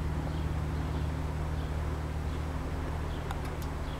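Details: Swarming honey bees from a backyard hive, May 13, 2012, give a continuous low buzzing drone that holds level throughout, with faint distant bird chirps and a few sharp ticks near the end.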